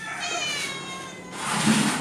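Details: Stray cat named Som Uan, which has come begging for food every day for several days, gives one drawn-out harmonic meow that rises and then falls, followed by a soft rustling hiss with background music.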